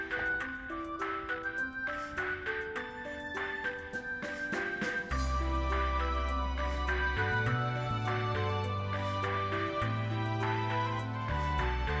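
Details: Bright tinkling music with glockenspiel- and marimba-like notes over a steady bass line that enters midway; no animal voices.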